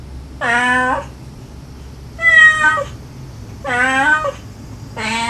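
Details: Meows from a feral mother cat calling her litter and kittens answering with soft begging voices, captured to lure a last kitten out. Four clear, level, harmonic mews of about half a second each, evenly spaced.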